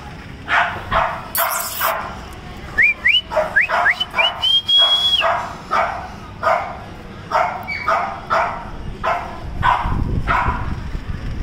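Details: Male and female Cocker Spaniel puppies in Bangalore give quick, high yaps in a steady run, with a few whistled notes mixed in.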